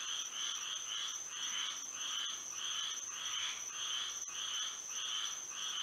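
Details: Frogs calling through a moonlit Florida night, a thick rhythmic chorus of rasping croaks close together, nearly twice each second, layered over a persistent high-pitched hum.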